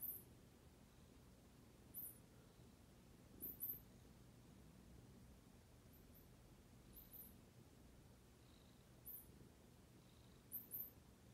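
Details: Domestic cat purring indoors, a steady low rumble running throughout, with short clicky sounds breaking in every second or two.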